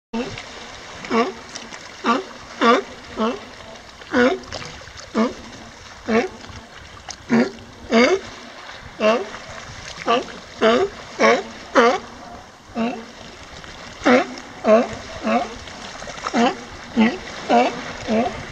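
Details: A California sea lion in the Finnerty Islands gives short, coarse, honking barks roughly once a second, over a low wash of water and surf.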